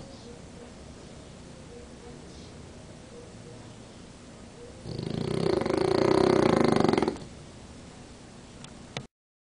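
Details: Napping French Bulldog with one eye open: soft, steady breathing, then a single rough, rumbling snore of about two seconds before it falls quiet again, with a faint click near the end.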